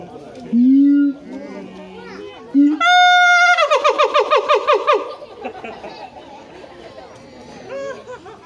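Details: Siamang at Higashiyama Zoo with a human-like scream: low held hoots build into a sudden shrill, harmonic-rich wail, then a fast run of about a dozen pulsed barking shrieks that fade into visitor voices and children.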